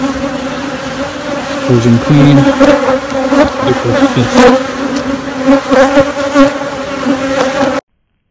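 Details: Queenless honey bee colony in queen rearing, droning steadily on low paired tones with brief deeper pulses early on and crackly rustling, ending abruptly in silence.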